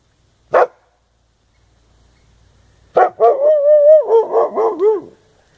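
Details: A dog gives a single sharp bark, then after a pause a short bark running into a drawn-out, wavering whine with several harmonics, rising and falling for about two seconds; a visit on the last day of summer, quiet background.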